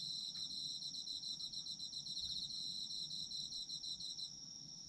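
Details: Night-style chorus of autumn insects, a piercing steady high tone under a fast rhythmic trill that fades out shortly before the end, with a low soft rumble beneath.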